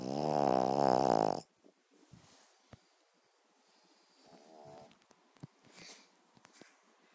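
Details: A sleeping Cavalier King Charles Spaniel snores with one loud, buzzy, tonal rasp lasting over a second. A long quiet stretch follows, then a softer, fainter snore and a few light clicks.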